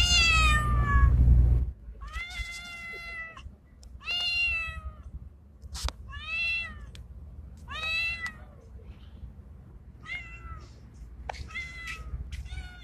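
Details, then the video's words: Outdoor male street cat, Bengal-like in appearance, calling for a female: a burst of loud noise opens, then a run of short, bright meows repeated about once a second, some rising and falling, over a low background hum. "Male Cat In Heat Sounds | Male Cat Calling Female | Male cat mating call sound effect|Male Cat Voice"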